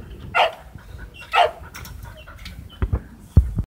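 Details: Boxer dog at a breeder's kennel in Hamamatsu, Shizuoka, Japan, acting oddly while its owner works outdoors; two short, harsh broadband barks about a second apart, then soft thumps and handling noises.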